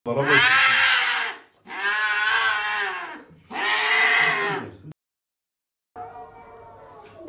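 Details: Angry domestic cat yowling loudly in three long harmonic-rich wails of about a second and a half each, separated by short gaps, then a quieter fainter cry after a brief silence.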